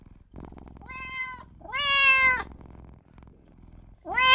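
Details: A newborn kitten crying out for its mother and owner: a short meow, then a long, loud, slightly falling cry, and the start of another, over a low background rumble.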